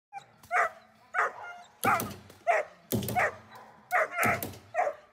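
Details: German Shepherd during protection training, barking hard and repeatedly: deep, forceful barks in irregular bursts, roughly one to two per second, some doubled, with little else heard.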